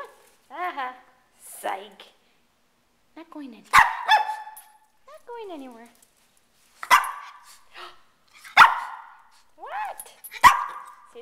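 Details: Pet Shih Tzu dog indoors by the door on a rainy day, wanting to go out: sharp single barks spaced a few seconds apart between high whining yelps, with a person talking to it.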